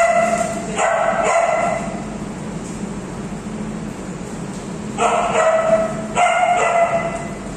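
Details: An Alaskan Malamute named Chloe with her friends: paired bursts of throaty, tonal woo calls at the start and again near the end, separated by a quiet stretch of background hum.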